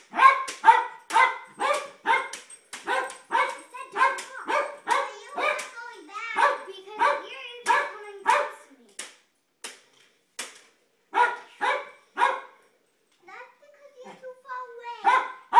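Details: Kids' light saber sword play sets off a Jack Russell Terrier; steady run of sharp barks about twice a second for ten seconds, a brief pause, then a few more barks and whining, tonal yelps alongside children's voices.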